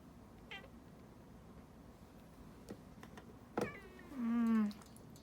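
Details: Domestic cat complaining while its claws are clipped: one short sound, then a single drawn-out, wavering meow about half a second long near the end, with quiet background noise and a few soft clicks.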